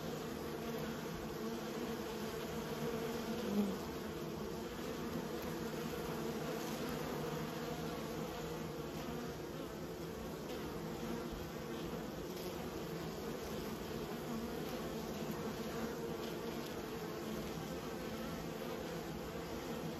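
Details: Kept bees produce a constant low hum with stacked harmonic tones; a brief louder buzz rises near three and a half seconds before the drone settles again.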